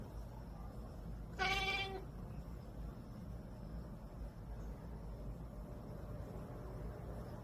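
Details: Cat fussing sleepily before falling asleep gives a single short, harmonic whining meow about a second and a half in, then only a low steady room hum.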